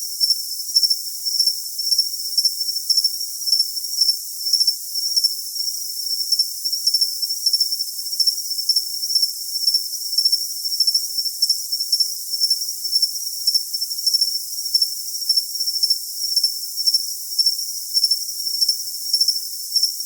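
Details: Shrill unbroken cricket trill with sharper chirp bursts recurring about every half second, evenly sustained throughout, with no other animals or background sounds.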